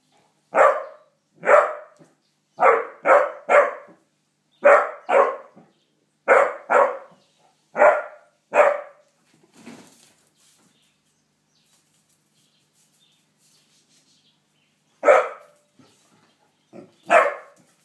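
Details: Basset Hound puppy barking while meeting a rooster, getting to know each other: sharp, mid-pitched barks in quick bursts, about a dozen in the first nine seconds, then a long quiet gap and two final barks near the end.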